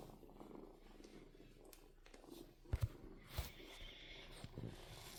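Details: Kitten giving a low, soft purr as an even background rumble, with a couple of heavy thumps and a brief rustling burst partway through.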